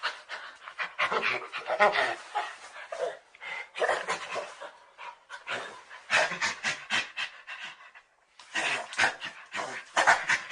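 A Nigeria-Cameroon chimpanzee gives rapid, breathy panting calls in bursts separated by short pauses.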